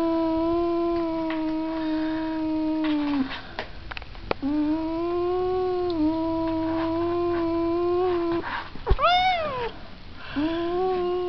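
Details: Cat giving a long, steady, low wail held for about three seconds at a time, repeated after brief breaks, with one sharper rising and falling yowl near the end.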